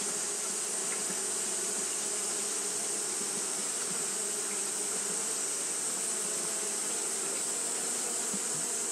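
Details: Steady droning buzz from Japanese honey bees busy fanning during hot weather, unchanging in loudness, backed by an even shrill hiss in the upper range.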